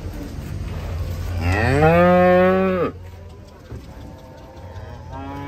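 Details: A single cow lowing as cattle jump down from a truck during unloading: a loud, rich moo rising into a long held tone for over a second, then cut off abruptly, with low rumbling behind.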